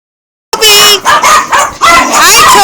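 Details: Pet dog imitating the word "mama": loud, whining, howl-like vocal bursts in quick succession, each bending up and down in pitch, starting with a short voiced glide and ending in a longer drawn-out wail.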